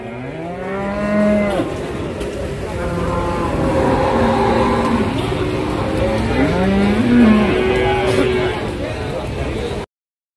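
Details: Tired cattle at the Pati Wage cattle market in Indonesia after a long journey by truck; several drawn-out, low moos rise and fall across about nine seconds over crowd murmur and faint background music.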